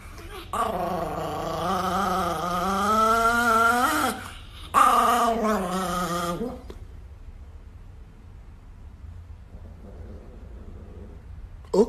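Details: Angry Chihuahua growling: two long, wavering, tonal growls of about three and two seconds, separated by a short break, then near silence.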